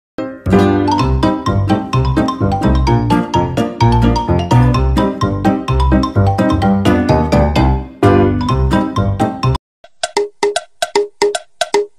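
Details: Upbeat, busy music with dense beats, then sparse chiming notes after a short break.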